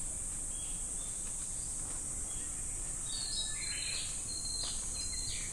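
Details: Cicadas at Namegawa Shrine, Sukagawa, Fukushima, Japan, in summer produce an unbroken, piercing high whine, while a few quick bird chirps and short whistles sound over it toward the end.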